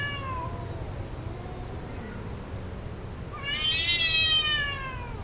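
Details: Domestic cats during mating: a long, wavering, falling yowl, then a louder rising-and-falling wail with rich harmonics, over steady low background noise.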